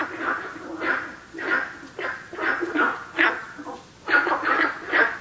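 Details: Günther's frog recorded at 南河谷, giving gruff, bark-like notes in loose clusters roughly every half second to second, with brief gaps between bursts.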